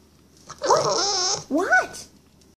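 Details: Bulldog puppy Vera vocalizing indoors in reply to her owner: a sustained wavering howl-like whine, then a brief pause and a second rising-and-falling yodel-like note.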